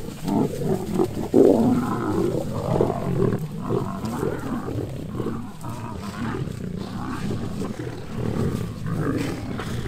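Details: Wild male lion approaching a female to mate: continuous deep, rough low-pitched growling and roaring, rising and falling in pulses with a louder burst near the start, steady throughout.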